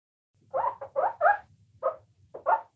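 A guinea pig gives six short, squeaky chirps in uneven bursts over under three seconds, mid-pitched and slightly nasal, with a soft low rumble between them.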